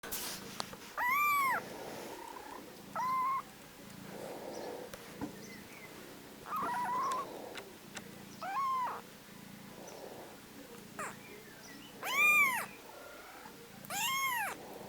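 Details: Baby kittens give high, thin meows that arch up and fall, repeated every couple of seconds, before falling asleep.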